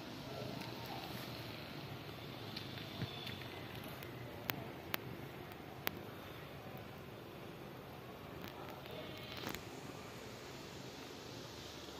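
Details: Quiet low rumbling room noise with a few sharp clicks and faint scattered taps, no clear animal voice.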